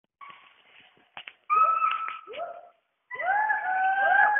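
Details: Western hoolock gibbon (Hoolock hoolock), call.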